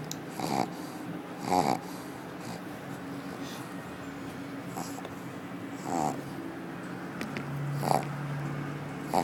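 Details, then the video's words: Sleeping female pug Akilla at the office: irregular rasping snorts and fluttering snores, several spaced one to two seconds apart, with a low background hum throughout. "Akilla Pug Snoring at the Office"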